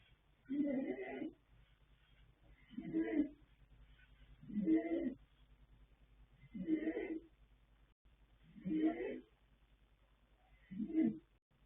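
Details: Yanta, a colt foal born 21 January 2026 to Fast Force out of Pink Blossom, snoring while asleep: six rough, breathy snores at steady intervals of roughly two seconds, each a noisy low rumble with a faint hiss above, and quiet between breaths.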